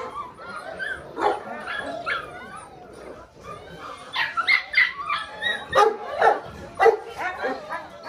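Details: A litter of Belgian Malinois puppies aged six weeks, Mensa X Pixel, giving scattered whines at first, then a run of rapid high yelps and barks in the second half.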